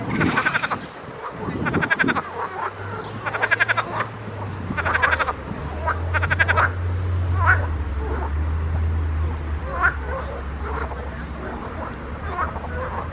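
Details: Frogs singing in a pond: rapid rattling pulsed croaks in bursts of about a second, repeated every one to two seconds, with fainter single croaks from other frogs and a steady low hum underneath.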